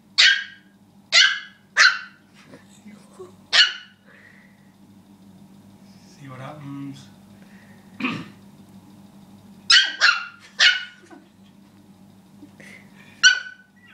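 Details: Pet dog barking excitedly while worked up over a pig: bursts of sharp, harsh barks in quick runs of three or four, a pause filled with people talking and a soft growl, then another volley of barks.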